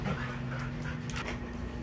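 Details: Hungry Belgian Malinois pestering its owner: quick, breathy panting with faint whimpering undertones over a steady low hum, continuous through the short stretch.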